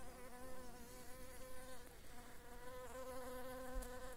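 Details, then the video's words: ['Sandy carder bee, a fairly rare bumblebee known by its voice: a steady low hum with rich overtones runs throughout, wobbling slightly and dipping near the middle before rising again, over soft background noise.'] "trzmiela rudoszarego można poznać po głosie"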